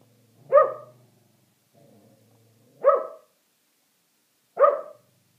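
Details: Shetland Sheepdogs barking at a squirrel: three sharp, loud single barks roughly two seconds apart, with a faint low rumble between the first two.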